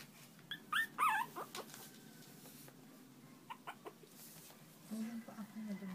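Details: Newborn Shih Tzu puppies during bonding time, giving high, thin squeaky whimpers in short clusters, with people talking in Tagalog nearby and a low whine near the end.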